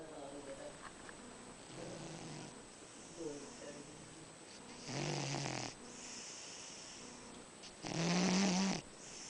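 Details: A cat snores at home: two long, raspy breaths, the second carrying a low buzzing drone, rise out of quieter breathing and faint murmurs.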